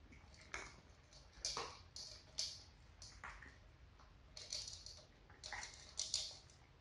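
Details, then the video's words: Four pet cats, two adult sisters and two kittens, eating dry cat food indoors; crisp crunching bursts come in irregular clusters, several sharp bites close together, over a quiet room hush. "4명의 고양이 사료 먹방 "중간광고 없음" Cat food eating sound."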